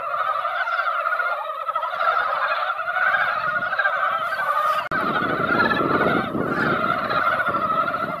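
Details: Mountain frogs assembled at a mountain pond after light rain keep up a thick, continuous croaking chorus; a short break midway is followed by added low rumbling noise beneath the calls.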